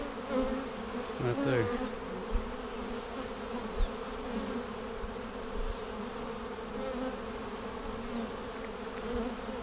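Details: Honey bees in a beekeeper's hive on March 10, 2019, seven days after a vertical split with a double screen divider board, while queen cells are checked: steady low droning hum with layered tonal bands and a brief scraping sound early on.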